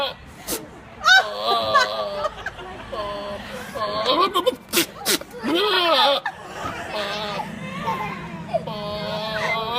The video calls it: Goat Makes Weirdest Noises